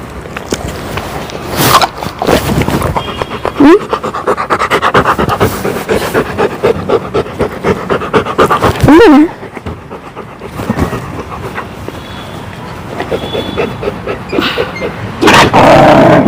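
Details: Labrador Retriever named Chakki, a pet dog, panting in quick rhythmic breaths, about two per second, with a woman speaking Malayalam and calling its name, plus a short sharp yelp-like sound near the middle.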